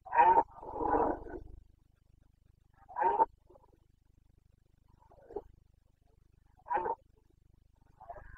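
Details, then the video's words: Carpathian stag, a red deer, roaring during the breeding season in Bucovina on 29 September 2022; loud hoarse bellows, one drawn out, repeated every few seconds with fainter replies between. "Boncănit / Carpathian stag Breeding season"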